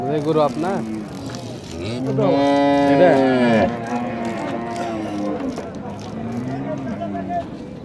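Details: Cow in Bangladesh lets out a strong, level moo of about one and a half seconds in mid-clip, with short grunting calls before it and men's voices and traffic around it.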